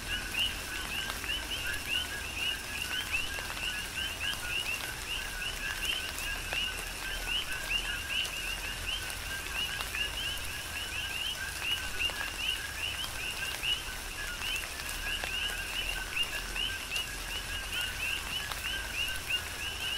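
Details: Rhythmic chorus of coqui frogs in a tropical rain shower, Big Island, Hawaii; many frogs trade quick low-then-rising chirped notes without pause, layered over a constant hiss of rain and occasional drop clicks.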